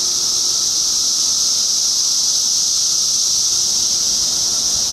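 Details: A 2013 emergence of cicadas fills the air with a continuous, shrill, even drone, very loud and unchanging for the whole stretch before cutting off abruptly at the end.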